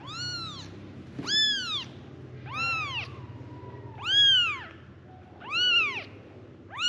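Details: Little kittens, five together, calling to their mother with high arching mews, each rising then falling, repeated about every second and a half.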